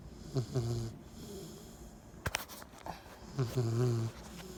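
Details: Sleeping 10-week-old Cane Corso pup giving two deep, buzzing snores roughly three seconds apart, each opening with a short catch then a sustained low rattle; a brief sharp click falls between them.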